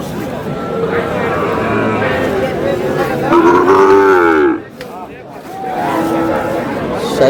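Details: Sahiwal bull calves at a Tuesday cattle market in Kurigram, Bangladesh, 3 March: a loud, deep, harmonic moo swells in the middle and then cuts off, with more lowing and market chatter around it.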